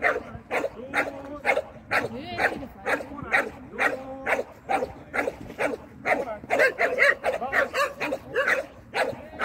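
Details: Shetland Sheepdog during a training lesson in November 2022, barking in a steady run of sharp, repeated barks about two per second, with a little background noise throughout.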